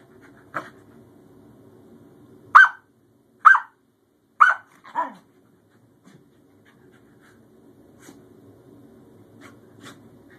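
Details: Playtime between newly adopted Scottish Terrier Bjorn and his older sister Savannah after an initial show of who is boss; four clipped yips roughly a second apart mid-clip, then quiet with faint panting and soft distant sounds.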